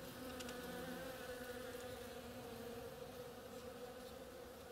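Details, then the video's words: Many bees working on the flowers of an oriental creeper, a steady droning hum with a strong steady tone and overlapping wingbeat buzz, continuous without pauses, a few faint clicks. "Bees hard at work on my oriental creeper"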